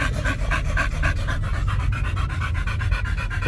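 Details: Pet dogs riding in a car on the way home from a dog hotel, a little excited, panting rapidly and steadily in quick rhythmic breaths over a low engine rumble.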